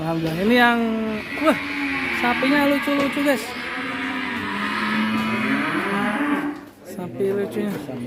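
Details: Agitated cattle raging in its pen at Duta Farm 61, Kuningan, West Java, Indonesia: a long, drawn-out bellowing moo that climbs, wavers and holds for several seconds before tailing off, with a shorter low moo near the end.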